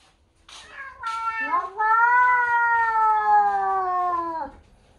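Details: Domestic cats, a newly arrived British Shorthair and a Bengal, trading vocal insults indoors as the new cat meets the family. One long, drawn-out, harmonic yowl holds steady for about three seconds and then falls away at the end.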